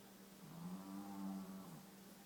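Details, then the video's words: Spice the dog asleep on its side, snoring like a human: one long, low, droning snore swelling and fading over about a second in a quiet indoor room. "Spice the snoring Dog"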